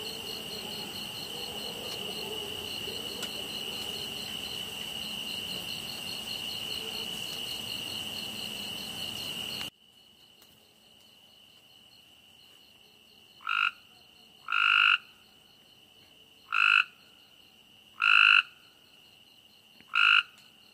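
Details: Frog at night: after a stretch of steady high cricket trilling, loud short harsh croaks begin, five bursts about one to two seconds apart, with the thin insect tone continuing underneath.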